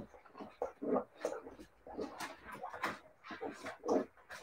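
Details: Squealing Siberian Husky puppies: quick high whiny squeaks and grunting yelps in uneven bursts, several pups overlapping, a couple of louder peaks standing out.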